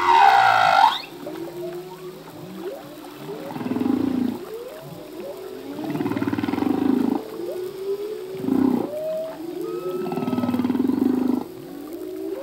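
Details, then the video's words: Humpback whale song from a male at sea: a bright descending squeal opens, followed by repeated swelling low groans every couple of seconds, interwoven with short upswept chirps and a thin whistled tone. "Whale song - full length humpback whale song"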